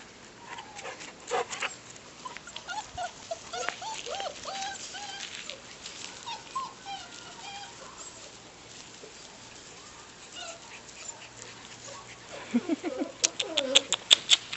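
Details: Bernese Mountain Dog puppies playing outside: thin, high whimpers and short yips come in irregular bursts, some curving up and down. A woman calls and praises a puppy between them, and sharp clicks and thumps cluster near the end.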